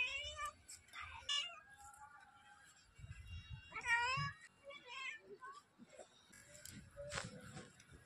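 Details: A cat meows a few times, the calls harmonic and arching in pitch, the loudest near the four-second mark, with low thumps and faint background noise between them.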